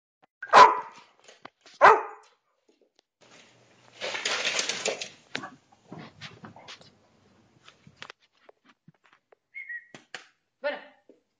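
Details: Bad-tempered dog barking: two loud, harsh barks close together at the start, a burst of rough noise in the middle, then scattered quieter sounds and one more sharp bark near the end.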